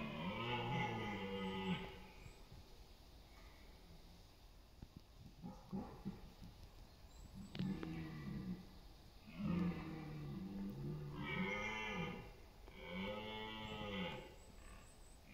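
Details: Repeated hoarse roars of red deer stags in the autumn rut, East Serbia, September 28, with stags competing for dominance and mates among meadows and forest; long bellows broken by gasping grunts, several calls in quick succession.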